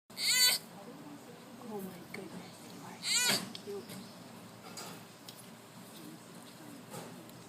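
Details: Baby sloth exercising during playtime, giving two loud high squealing cries about three seconds apart, each with a stacked falling-then-rising pattern, followed by fainter soft squeaks and a woman's voice nearby.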